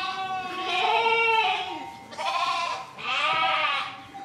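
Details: Three sheep bleats in quick succession: a long, tremulous first call, then two shorter, rising-falling nasal bleats.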